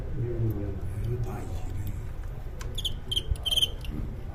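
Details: Crickets in a staged fight, with commentary in Cantonese: Cantonese speech and low hum open the clip, then clusters of short, sharp, high chirps burst out in quick pairs and triplets over the final second and a half.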